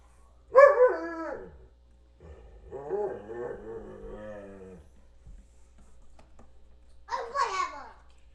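An Alaskan Malamute 'talks' in drawn-out, wavering woo-woo vocalizations with a bright, harmonic tone.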